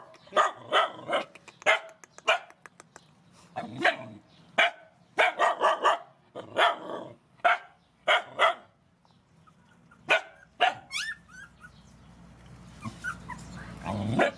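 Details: Rescue mother dogs and puppies at feeding time give short sharp barks in irregular bursts, some doubled, with quieter gaps and a low rumbling background toward the end.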